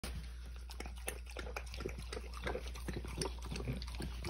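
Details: A thirsty French Bulldog lapping water, a quick series of wet, clicky laps and slurps running steadily throughout, with a constant low hum underneath.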